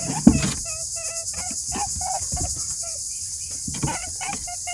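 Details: Rabbits on a rabbit farm crying: short, clear, tonal squeaks at mid pitch, given in quick irregular runs of several notes, with a steady high-pitched hiss like insects running throughout and a few low thumps.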